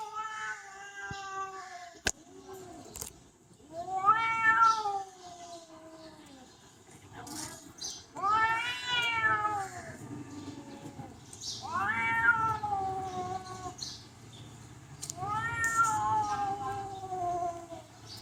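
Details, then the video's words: Cats making talking, yelling sounds like humans: a series of drawn-out, wavering meows with a whiny, rising-then-falling tone, repeated every few seconds, plus a sharp click near the start and faint room noise. "Funny cats talking and yelling like humans"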